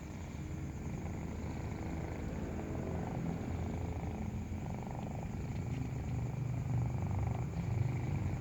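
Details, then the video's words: Kitten purring while breastfeeding, a continuous low pulsing rumble that grows slightly louder toward the end, with faint clicks and a steady thin high tone in the background. "Breastfeeding kitten makes a purring sound"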